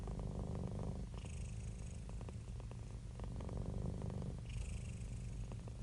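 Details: Cats and kittens purring: a steady, low, rumbling purr that pulses about three to four times a second without a break, with faint higher hissing bands drifting in twice.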